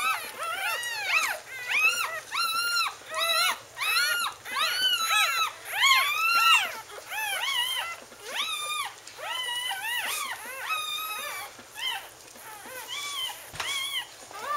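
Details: A litter of Wheaten Terrier pups, born October 18, 2011 to Bailey, whimpering and squeaking: a steady run of shrill arched yelps, roughly one and a half per second, slowly softening toward the end.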